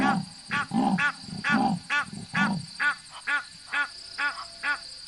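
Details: At Nkoropan, a leopard, after trying to chase Egyptian geese, gives about eleven hoarse, rasping grunts, roughly two a second, like wood being sawn, deepest at the start and fading toward the end.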